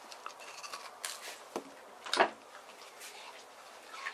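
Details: A male white terrier, born April 2018, chews cold watermelon on a hot summer day, with wet crunches and soft smacking clicks in a quiet room.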